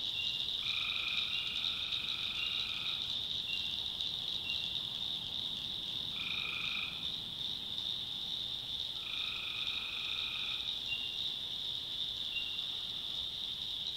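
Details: Nighttime tree frog chorus from the North Carolina backwoods: three drawn-out nasal honking calls of about two seconds each stand out over a continuous high buzzing wash of frogs.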